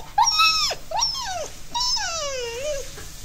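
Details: Lucy, a female Alaskan Malamute, scared during a short summer thunderstorm, whimpers indoors: high drawn-out whines sliding downward, three cries in quick succession, the last long and wavering.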